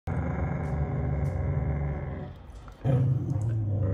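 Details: Siberian Husky male Jotunheim growling to protect his younger sister Tiara from another sister who tries to take toilet paper; continuous low rumbling growl, a brief dip near the third second, then resumes louder.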